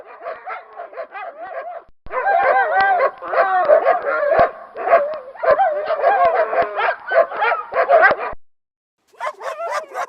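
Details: Dog barking and yelping almost without pause, rough overlapping barks with higher yips, continuing for over eight seconds before a short gap and a final burst.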